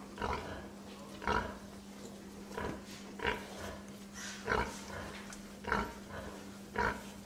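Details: Domestic pig giving a string of short, rough grunts roughly once every second, seven clear bursts in a row against a constant low electrical hum.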